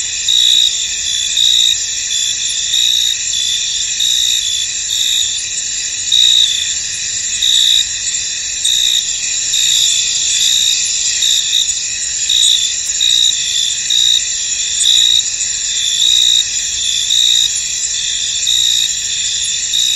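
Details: Crickets in a misty, foggy field: a dense, unbroken high-pitched shimmer of many insects trilling together, with brighter chirp bursts pulsing over it irregularly throughout.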